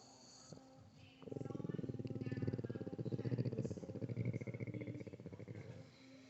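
A Boston Terrier snores in its sleep. One drawn-out, deep, rattling breath lasts about four seconds, vibrating in a fast, fluttering buzz before it fades back to quiet.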